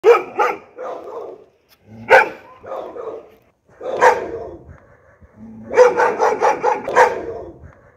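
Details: Border Collie. A Border Collie gives sharp, mid-pitched barks, some single and some doubled, separated by brief pauses. Toward the end the barks come faster in an excited run of five or six.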